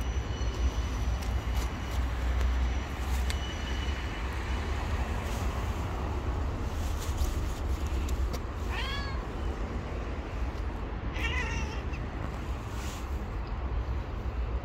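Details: Stray cat living on the street gives two short, harmonically rich meows about two seconds apart, rising then falling in pitch, set against a constant low rumble of traffic.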